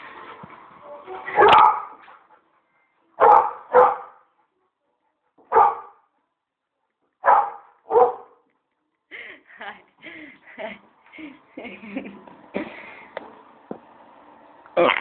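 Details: Labrador Retriever Sasha, a pet dog unable to reach his favourite frisbee, gives about six loud sharp barks, mostly in spaced pairs, then a run of softer short yips and whines with a human voice faintly behind.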